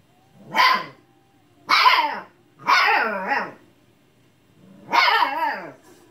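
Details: Husky puppy yelling at a lazy old housemate cat for not playing, giving four strident, wavering barks in quick succession, the third drawn out and sliding down in pitch, quiet room between calls.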